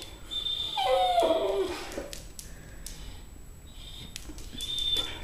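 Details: A blue Weimaraner foster rescue dog at mealtime gives a short, high, falling whine, impatient while his food soaks for several minutes.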